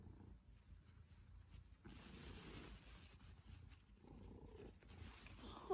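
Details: Soft, low rumbling purr from Pippin, a male Maine Coon cat being affectionate during cuddles with his family, faint beneath steady room hiss with a brief sharper sound at the very end.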